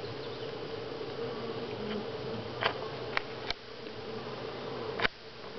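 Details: Honey bees at Grass Lake Sanctuary in week 6, recorded on July 25, 2011: a steady low hum of wingbeats runs throughout, broken by a few sharp clicks and knocks.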